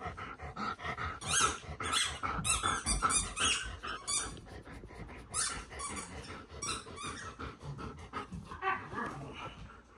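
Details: Several dogs at home in a small indoor room, playing instead of letting their owner relax and watch television; rough, rapid growls and squeaky yelps tumble over each other in busy bursts, with thumps of play.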